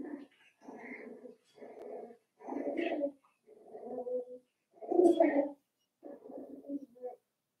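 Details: Cavalier King Charles Spaniel puppies aged five weeks yip over and over in an indoor pen, about four short nasal barks per second in uneven bursts, with one louder squeaky yelp near the end.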